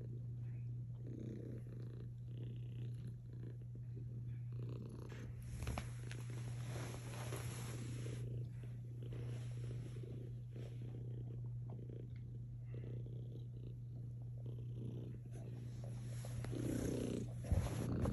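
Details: A cat snuggled against a Belgian Malinois keeps up a low, even purr for the whole stretch, its breath-driven swells repeating steadily, with a few faint rustles and bumps toward the end.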